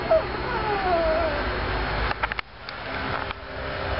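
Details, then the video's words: A Japanese Chin dog in love whines: a short high note, then a longer thin whine that slowly falls in pitch, over a steady background hum, followed by a few sharp clicks and knocks. "A japanese chin dog is in love"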